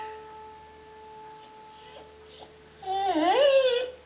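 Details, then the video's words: Zoe, a Samoyed, singing along to Bruce Hornsby music indoors: after steady sustained music tones, a wavering howl rises and falls for about a second, with a woman praising her warming up. "The singing sammy"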